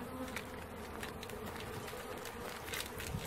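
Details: Honey bee swarm being caught, an intense close buzz filling the short stretch, bright and even with faint clicks.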